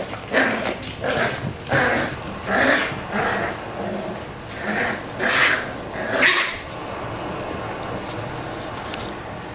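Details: Black and tan Jack Russell Terrier puppies, 8 weeks old, give a run of high, squeaky yelps and whines in short bursts; recorded October 24, 2012.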